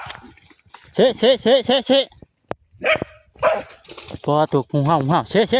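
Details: Dog fighting a cobra, a struggle that nearly killed it and almost blinded its eye: a run of four quick, evenly spaced barks, then further bursts of barking mixed with excited human shouting and talk.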